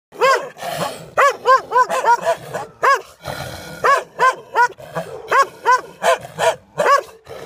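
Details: Several dogs barking loudly behind a fence, an aggressive burst of sharp, harmonic barks repeated rapidly in clusters of two to four, with brief pauses between volleys and faint background noise.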